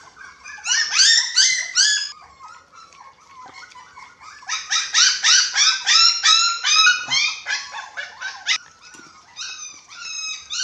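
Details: Eating-time chorus from six-week-old dachshund puppies with a Japanese Spitz present: loud clustered squeaky yelps, a brief lull near three seconds, then a long run of rapid, rising-falling cries.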